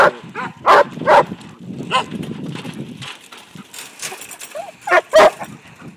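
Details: Aragorn, a five-month-old Briard puppy, herding sheep he sees for the first time; a few sharp, harmonic barks burst out near the start and again near the end, with quieter rustling and low murmurs between them.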